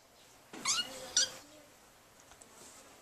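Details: A vocal six-week-old kitten playing with its sibling gives two short, squeaky, toy-like, high-pitched meows in quick succession; the meowing is its way of talking, not crying.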